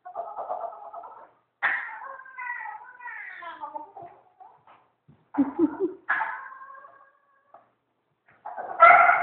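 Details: A Maltese puppy at a dog groomer makes a weird, monkey-like sound instead of whining: a run of odd, wavering whines and short yelping cries, broken by pauses.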